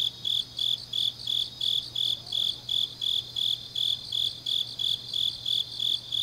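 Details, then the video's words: Grass insects on a deep autumn night in Changnyeong, South Gyeongsang, Korea: a high, bright chirp repeated steadily about three times a second, each pulse short and even, over a faint continuous low hum. "깊은밤 가을 풀벌레 소리"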